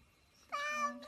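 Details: Domestic cat giving a short meow, a clear harmonic tone that rises slightly then holds level for about half a second, recorded indoors.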